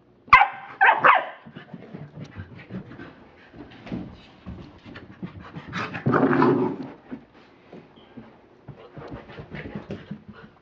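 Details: American Pit Bull Terrier playing with his toy, opening with a couple of sharp barks, then rapid panting and rough grumbling, a louder growly burst midway, scuffling noises around it.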